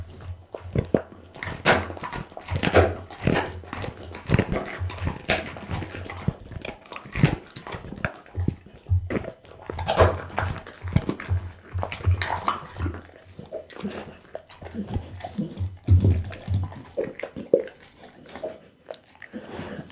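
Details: A pit bull chews raw meat and bones, including lamb spine, beef kidney and horse meat, recorded close up indoors. There is continuous crunching and wet gnawing with sharp bite clicks and low thuds.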